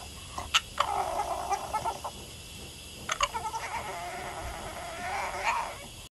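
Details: A female Boston Terrier, crying at her owner, gives a sassy, talkative whine in two long, mid-pitched, wavering bursts, grumbling and muttering with a few sharp clicks and knocks between them.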